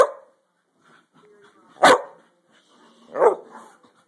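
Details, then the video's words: Dogs playing together, giving two sharp, loud barks about 1.3 seconds apart, with softer rustling and faint whines in between. "Crazy Dogs playing"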